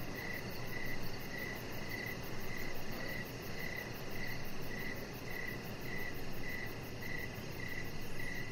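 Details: Evening crickets near a deck with a chihuahua puppy resting; bright, clipped chirps pulse at a regular pace of roughly two per second above a dense, low, noisy background wash.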